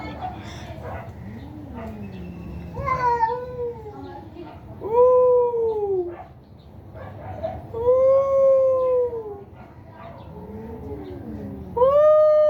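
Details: A fierce cat fight with repeated loud, arching yowls that rise then drop, each lasting about a second, separated by lower growling moans. People speak nearby.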